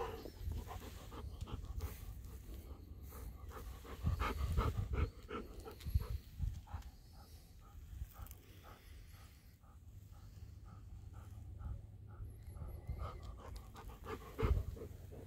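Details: Two Golden Retrievers outdoors in dry weather, waiting for a visitor before the appointment time; quick rhythmic panting at nearly three breaths a second, with soft scuffing steps and faint outdoor background noise.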